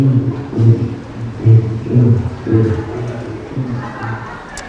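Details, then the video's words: Black drum fish recorded underwater by hydrophone makes deep, booming drum-like knocks, repeated roughly twice a second; a species targeted for acoustic monitoring. "a black drum fish makes a sound like this"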